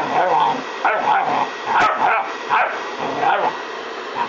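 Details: Gamico Gorman, a five-month-old blue Staffordshire bull terrier, biting at the air in play; short harmonic yipping and growly barks come in bursts about every 0.8 seconds over a steady background hum.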